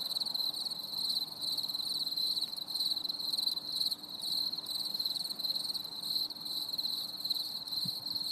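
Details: Crickets singing on a stormy summer evening: a dense, continuous high chirring chorus with steady pulsing trills, faint low background hum underneath.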